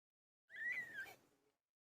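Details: Drawn-out single cry from Pilo, a domestic cat giving birth: one high, slightly wavering wail lasting about a second, fading at the end in a quiet room.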